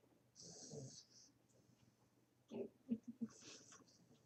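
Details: Sleeping puppy snoring: a long wheezy, hissing breath early on, then a quick cluster of three short snorting snuffles, followed by another airy, whistling exhale in a quiet room.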